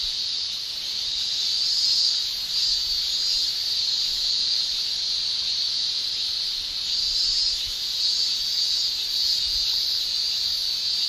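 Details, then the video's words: Summer cicada chorus in Japan, the male tymbal song: a continuous piercing, hissing shrill with gentle surges in intensity every few seconds and nothing else standing out. "Japan Summer Cicada Shrilling"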